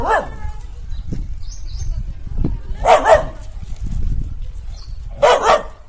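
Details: A dog barks at a monkey, giving loud, harsh barks spaced a few seconds apart over low rumbling background noise.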